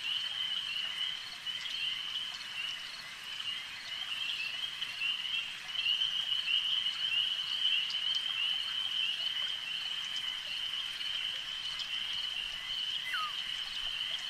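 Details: A lake's frog chorus hums as a continuous high, buzzy trill, rising a little in volume midway, with one brief falling whistle near the end over faint background ticking.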